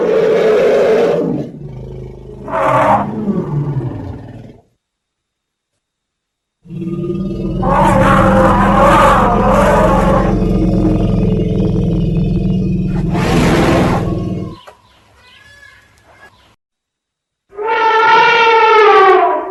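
Heavy, growling roars from elephants come in long bursts, thick with low rumbling tones. After a short pause, a bright, brassy trumpet-like call with clear harmonics rings out at the end.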